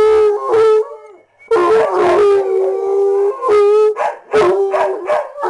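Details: Hound dog bays in several drawn-out howls separated by short gaps, each note steady then breaking into rough, broken yodels; accompanied by a heeler sidekick.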